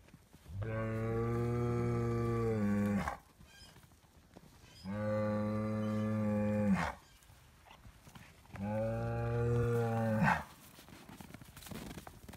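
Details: Highland cattle bull, a Scottish breed kept outdoors year-round on a farm in Finland, receiving bread; three loud, even, sustained moos roughly two seconds long with short pauses between.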